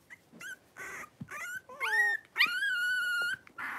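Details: Playful whining from a litter of five blenheim Cavalier King Charles Spaniel puppies, three weeks old, wrestling in an indoor pen: short yips, then a rising whine that levels into a long sustained high cry.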